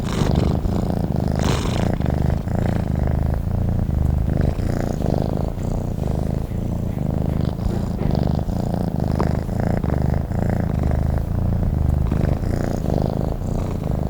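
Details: Sleeping domestic cat giving a long continuous purr, a soft low rumble pulsing with each breath, with faint brief clicks and rustles in the background.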